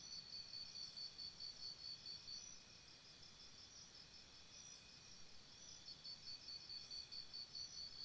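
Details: Crickets chirping at night by a campsite: steady high-pitched pulsed trills in two bursts separated by a quieter spell, with faint shorter chirps from other insects higher up.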